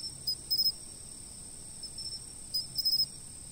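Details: Insect chorus filmed with a stationary camera: a continuous shrill ringing tone, with two brief clusters of quick, sharp chirps layered on top near the start and again toward the end.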